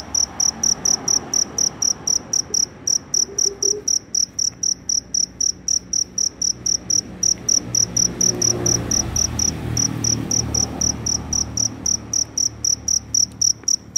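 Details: ['Very loud cricket out after rainfall, seeking a mate, giving steady high-pitched chirps at roughly two per second throughout, while a soft low rumble swells in the background midway.']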